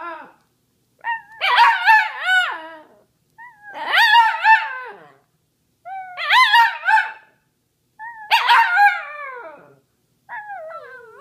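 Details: Samoyed named Sammy, a pet dog howling along with its owner: five drawn-out wavering howls with sliding pitch, each lasting one to two seconds and separated by short pauses, with a human voice joining in.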